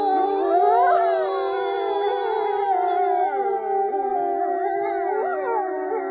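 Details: Several wolves howl together in a dense chorus, their overlapping voices gliding, rising and falling against one another, some long and level, others bending in quick swoops.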